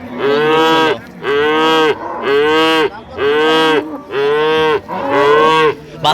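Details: Dairy cows and calves of improved breed at Ambari market, Dinajpur, 28/9/25: six bright, even moos of roughly one second each, given about once a second in a steady series, with light market murmur behind.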